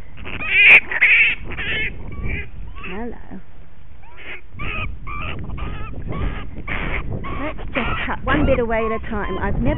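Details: Bat named Punch, tangled in rose bushes in a suburban backyard after a loud altercation with a dog, resisting rescue and trying to bite; harsh, squawking screams in rapid bursts, overlapping with a man's calm voice and the snipping of rose canes.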